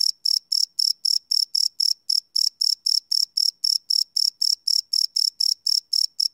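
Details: At night a cricket keeps up rapid, high-pitched chirps, about four each second, steady and evenly spaced, recorded live on a field recorder with a quiet background.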